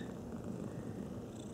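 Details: Domestic cat purring up close: a steady, low, rumbling buzz that holds evenly through the whole short stretch, with no other sounds.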